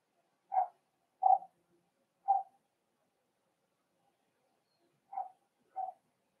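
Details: Four-week-old Cavalier King Charles Spaniel puppies in a home puppy pen, meeting other dogs and trying puppy mash, give five short, clipped whimpering yelps: three in quick succession, a pause, then two more close together.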